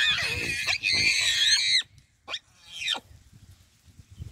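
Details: Wild baboons give a shrill, sustained harmonic scream lasting almost two seconds, followed by two sharp falling yelps and soft low grunting.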